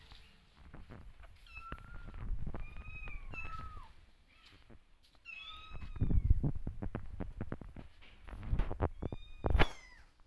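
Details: Several kittens give high, thin meows that rise and fall, calling repeatedly for their mother, who keeps her distance and watches them.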